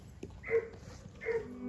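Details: Seven-year-old female German Shepherd in obedience training in Columbus, Georgia, gives two short, mid-pitched barks about 0.8 seconds apart, each a brief harsh burst, with quiet room background between them.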